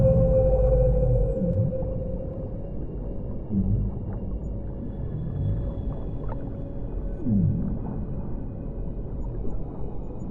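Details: Whale song underwater: low moaning calls with short downward-sliding tones repeated every few seconds, over a dense rumbling, gurgling water background and a faint steady hum.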